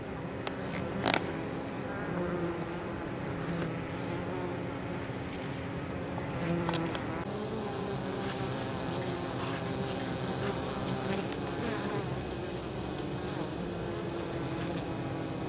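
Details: Many honey bees returning to the hive with pollen and nectar on 23 October during unseasonably mild temperatures; a low, steady wing hum throughout, broken by a few sharp knocks near one and seven seconds.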